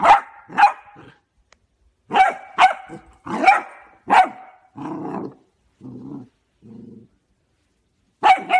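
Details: Cocker Spaniel barking and growling: bursts of sharp, harsh barks in quick pairs, then several lower, rougher growling rumbles, and a final bark.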